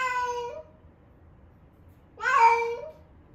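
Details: Female rescue cat Ame-chan, 11 months old and in her first heat, cries insistently indoors: two long, loud meows a second and a half apart, the second swelling in a strained, wavering tone.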